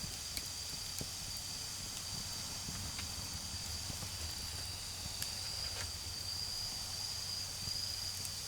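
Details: Autumn insects calling at night in a garden beside a crackling bonfire: a steady, thin high-pitched trill runs throughout, briefly stronger near the end, over sharp fire pops and a low rumble of distant cars.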